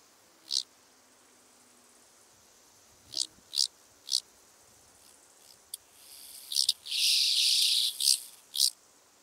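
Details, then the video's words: Large banded grasshopper (Arcyptera fusca) on the Fließer Sonnenhänge, Austria, 16 August 2018: a few short, high scraping bursts, then a loud sustained buzzing phrase near the end, with more brief rasping bursts after it. "Arcyptera fusca -- Große Höckerschrecke"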